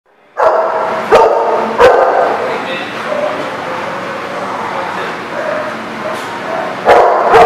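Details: Several dogs barking together at a facility, a dense overlapping chorus of mid-pitched barks and yips with a few sharp louder onsets near the start and end.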